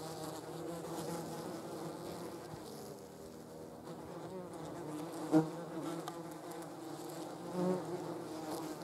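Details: Low droning buzz from German wasps on a jam jar, quieter at first, then a sharp click and a louder swelling hum as a wasp passes close.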